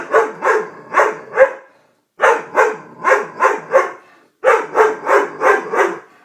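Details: Doberman frightened by a prank barks in three rapid runs of four to five sharp barks each, split by brief silent gaps.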